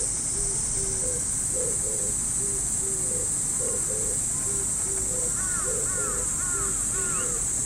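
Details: Steady shrill hiss of cicadas in a Japanese park on an early summer morning, with low repeated notes and, later, brief higher chirping whistles in the background.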